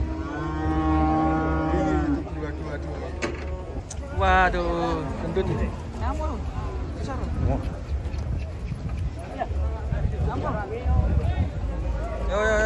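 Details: Group of large cattle descending from a truck. A long, even moo opens, then a busy run of short, wavering lowing calls from several animals, with a constant low motor hum behind.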